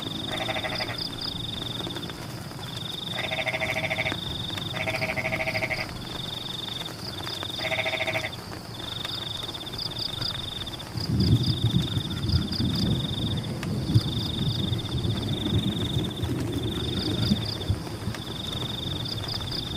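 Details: Frogs calling in rice fields during rain: bursts of rapid, rattling croaks about a second long, repeated in groups, over a steady high insect trill, with heavier rain noise swelling in the second half.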